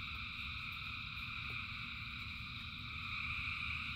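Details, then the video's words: Frogs in rain, a vast chorus producing steady layered high trills without pause, set against dense low rain noise and a single clear drip near the middle. "Frogs in Rain 2 Hours of Frogs, Thousands of Frogs Singing"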